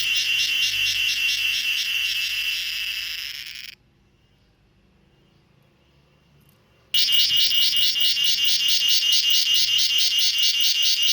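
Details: Evening cicada in a home garden, found on a mango tree and later on a coconut tree; shrill pulsed buzzing breaks off into a few seconds of silence, then resumes strongly with rapid regular pulses.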